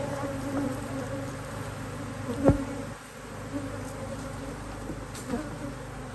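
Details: Busy honey bee colony in a HiveIQ hive in Australia, nearly mid-autumn 2023, in fine weather while a box is being added. Continuous low buzzing drone, one sharp knock midway, then a short dip in the hum.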